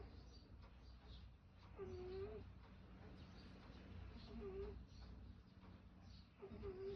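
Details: Pet cat with laboured breathing and an odd noise in its breath: a faint whistled tone at mid pitch swells and fades roughly every two and a half seconds over a low, steady indoor rumble.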